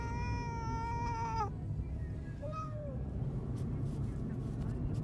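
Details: Black cat Nero or white cat Teto protesting on the way to the vet for castration; a long sustained meow for about one and a half seconds, then a brief short mew, over constant low engine noise.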